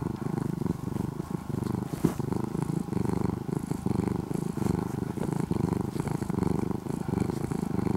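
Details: Steady low rumbling purr from a formerly stray orange-and-white kitten cared for over two years in Japan, deep and buzzing like an idling engine, with a small click or bump midway.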